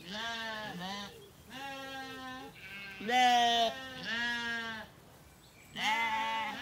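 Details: Zwartbles lambs after weaning, grazing an orchard at a regenerative farm in County Kilkenny, Ireland, in the evening; several voices bleat almost continuously, one loud quavering call standing out midway among steadier, quieter ones.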